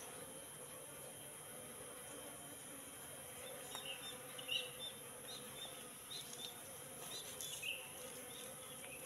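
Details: Wild Asian honey bees, Apis cerana, entering a three-month-old trap box; a faint steady low hum of many wings runs throughout, with soft scattered clicks and a high electrical whine above.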